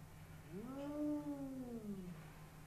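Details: Spooky, a Bengal cat, hostile toward a neighbour's Persian cat behind glass, gives a single drawn-out yowl, rising then slowly falling over about one and a half seconds, with a low steady hum underneath.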